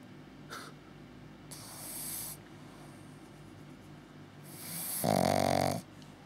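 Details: Menlo, a six-month-old Pug-Zu pup, snores in sleep; several breathy inhalations build to a loud, buzzing snort-like snore near the end, rough and low with airy hiss above.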